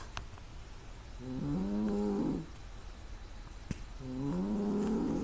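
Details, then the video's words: Sleeping female cat snoring loudly through the nose, recorded by smartphone with surrounding noise shut out; two drawn-out, buzzy nasal tones, each about a second long, wavering and rising at a low pitch with clear overtones. "すごいいびきをかく猫が可愛い(ぷー)Part2 Great snoring cat"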